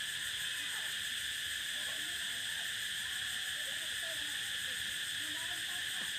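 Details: Prairie cicadas drone in a steady, high, buzzing chorus that never pauses.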